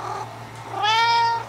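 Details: Domestic cat singing to her sock indoors: a single drawn-out meow, rising then held steady with rich harmonics, following a softer opening note; steady low hum in the background.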